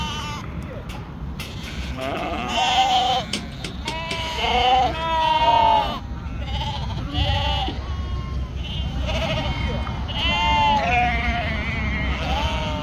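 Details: Ewe on a sheep farm in northern Spain giving repeated wavering, nasal bleats in short bursts, with a man speaking, background noise and low rumble throughout.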